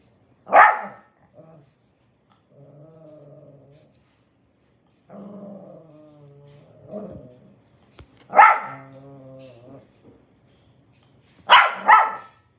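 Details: A bald Shih Tzu gives sharp, yappy barks between low, rumbling growls.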